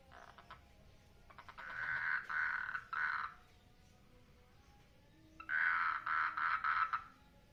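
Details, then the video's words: In a water lily pond, mating frogs give short bursts of rattling, pulsed trill in two clusters, each broken into three or four quick segments, with a quiet gap of about two seconds between the clusters. "FROGS MATING IN WATER LILY POND"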